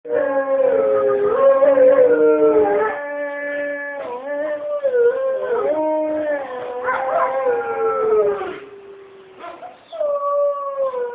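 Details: Several gray wolves at the Folsom Zoo howl together in the morning, long sustained tones sliding up and down in overlapping chorus.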